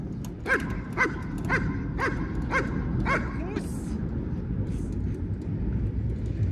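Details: Barking German Shepherd at basic obedience training, six short punchy barks in quick succession in the first three seconds, followed by a brief hiss and steady low background rumble.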